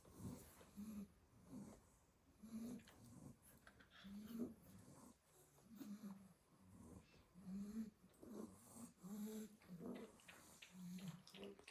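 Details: Pile of sleeping Staffordshire Bull Terrier puppies in a basket after a day of garden play, snoring steadily: low rasping breaths roughly every one and a half seconds, some wheezy, rising and falling in a soft rhythm.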